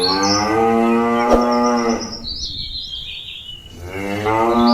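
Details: Cattle calling companions back to the pen: a long, loud harmonic moo, then a pause filled with bird chirps, then another moo beginning.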